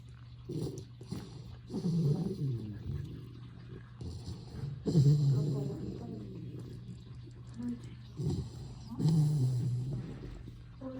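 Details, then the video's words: Sleeping retriever puppy, adopted three days earlier, snoring indoors: low, rumbling, drawn-out breaths in slow uneven cycles, some with a faint wheezy rasp, separated by quieter pauses. "귀여운 아기 리트리버 코골이 | 코고는 강아지 | Snoring Retriever"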